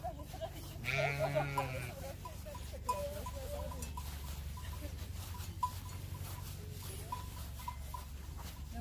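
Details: Dawn flock of sheep near the Matterhorn, Switzerland, walking out to feed; one strong vibrato bleat sounds near the start, followed by a steady low rumble and intermittent clinking bells.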